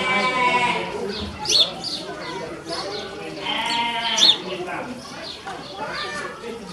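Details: Ouessant sheep mothers with young lambs at Zoo Zürich's children's zoo, Switzerland, April 2019, heading indoors to the shed: two short quavering bleats stand out among nearby people talking.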